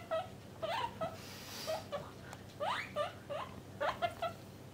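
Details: Pet guinea pigs, a parent with its young, separated into male and female cages indoors, repeat short rising squeaks in small groups of two or three, evenly spaced over several seconds.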